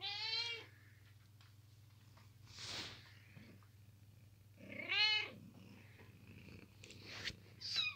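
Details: Kittens sleeping indoors in a boot give short, high-pitched, wavering meows at the start, around five seconds and near the end, over a steady low drone, with a soft rustling burst in between.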